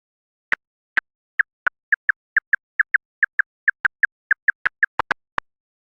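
A big brown bat's echolocation pulses, brought down to audible pitch: short dry ticks repeated several times a second.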